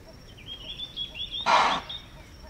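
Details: Impala in Manyeleti Game Reserve, South Africa, giving a loud, explosive chuff as an alarm call on detecting a predator in the African bush; one harsh broadband burst, with a bird's thin warbling whistles running behind it.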